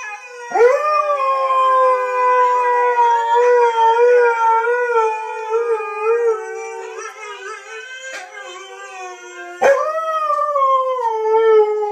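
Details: Siberian husky that howls when he sees his brothers, giving a long wavering howl that slowly sinks in pitch, then breaks off and starts a second rising howl that tapers downward.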